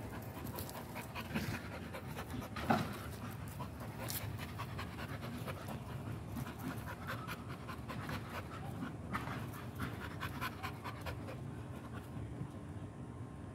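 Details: Close, steady panting from an American Pit Bull Terrier: quick rhythmic breaths in a continuous breathy rasp, with one louder thump early on. No barking or whining is heard.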